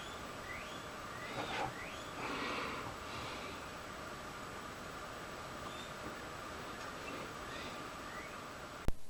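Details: A female pet guinea pig squeals faintly in the background indoors, short rising squeaks repeated over a steady hum, squabbling with other females.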